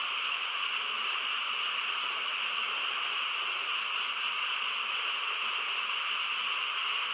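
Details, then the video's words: Frogs chorusing on a quiet countryside night: a dense, unbroken wall of sound with steady bright upper and middle bands, no single call standing out, level constant throughout. "고요한 시골 밤에 개구리 합창 소리"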